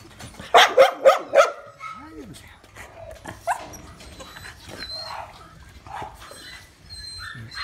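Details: American Pit Bull Terrier puppies: a quick run of four loud yapping barks, then softer whines, yelps and a faint human voice.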